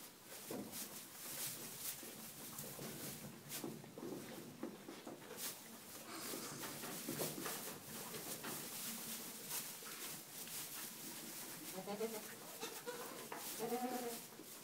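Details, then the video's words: Young Boer goat kids at play, offspring of a 2011/12 breeding herd in Bavaria, Germany; steady rustling and clattering throughout, then two short, nasal, wavering bleats near the end. "Boer Goats playing Kids"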